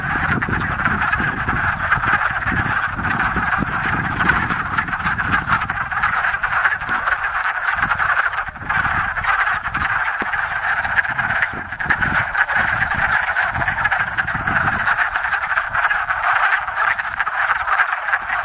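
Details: First frogs to chorus each spring, hundreds of wood frogs mating at a small woodland pond in Enosburgh keep up a thick, unbroken chorus of quacking croaks, with some low rumbling early on.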